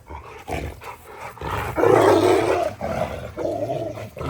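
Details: Angry dog squaring off with a Dogo Argentino, growling and snarling in a rough, roaring rumble that swells to its loudest midway and then comes back in shorter grumbles.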